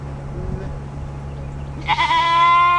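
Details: Nigerian Dwarf goat doe in heat, ready for a buck, giving one loud, rising, harmonic bleat near the end after a short faint murmur, over a steady low hum.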